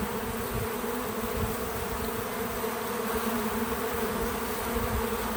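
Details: Bees visiting a feeder outdoors on a small farm: a steady, continuous drone of many wingbeats with bands near 250 and 500, forming a dense even hum with no music or talking.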